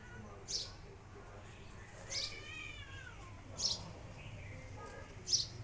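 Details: Rescued mother cat nursing her kittens, which bite her while feeding, so she strikes at them; one drawn-out mew with stacked harmonics gently falling in pitch, among sharp high chirps recurring about every one and a half seconds over a low hum.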